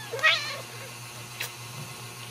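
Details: Ragdoll kittens raised in a home cattery in central Kansas: one short, high, thin meow, then quiet with a faint background hum.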